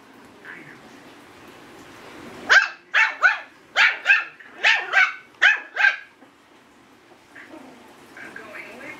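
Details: Indoors, a young Yorkshire Terrier pup aged eight weeks tries out its first barking: a rapid run of about eight shrill, clipped yaps, with faint softer sounds before and after.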